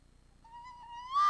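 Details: Red fox at a restaurant square in Iizuna, evening of 4 December 2020, calling as it arrives. A thin, steady tonal note swells into a sudden loud, harsh burst at the end.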